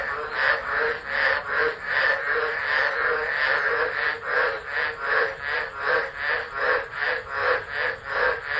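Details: On 13 December 2013 at Driver, Northern Territory, Australia, tropical frogs sing through a tropical low, recorded by a phone set down and left. Rasping croaks pulse steadily, roughly one and a half per second, overlapping callers filling the background.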